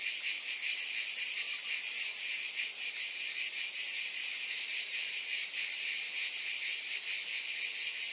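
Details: Steady, piercing cicada buzz filling the whole stretch, a bright sizzling tone with slight rhythmic pulsing and no pauses.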